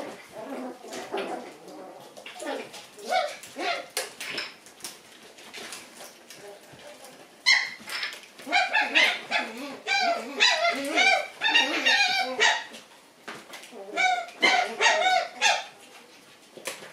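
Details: Several Shiba Inu puppies indoors, still full of energy and playing after the lights are turned off: rapid bursts of high yips, squeaky whines and short barks, overlapping and repeated many times a second, with scuffling between bursts.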